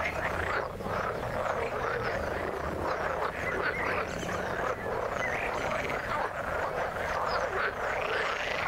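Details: A dense frog chorus in the water: many overlapping croaks and trills forming a continuous, even wall of pulsing sound, with faint low rumbling beneath.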